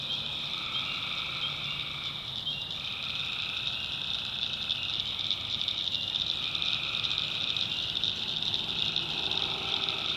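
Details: Swamp in the North Carolina backwoods at night, where many tree frogs give droning, buzzy trills that blend and overlap over a steady high-pitched insect chorus.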